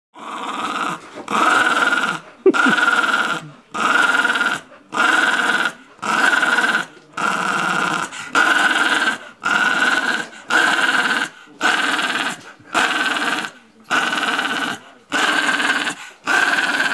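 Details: Female West Highland White Terrier growling while having her tummy rubbed, which she invites by rolling over; harsh, rasping growls come in bursts about a second long with short pauses, roughly once a second, steady throughout.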